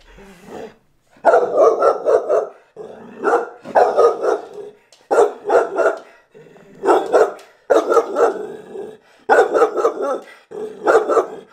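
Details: Pet English Bull Terrier objecting to a new camera, barking repeatedly: harsh, rough barks in quick runs of two to four, bursts about every second, loud and close.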